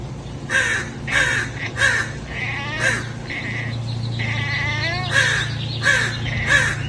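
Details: Egyptian Mau cat making a run of short, bright chirps at uneven intervals, some clipped and some drawn into brief warbles, over a constant low background hum.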